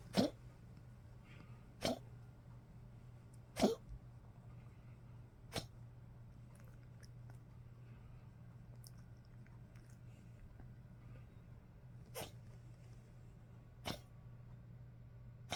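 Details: Elderly Poodle coughing after waking in cold weather, 30 March 2025: abrupt, harsh hacking bursts, three in the first four seconds, then sparser single coughs, against a constant low electrical hum in a quiet room.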